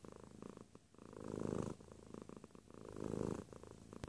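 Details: Short stretch of close feline purring, two strong rumbling swells separated by a softer lull, low and buzzy, ending with a faint click.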